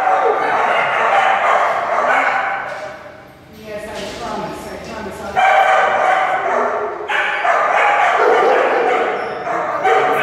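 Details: Otterhound voices in long, sustained, harmonic baying that fills the recording, easing off to a brief lull near the middle before rising loud again.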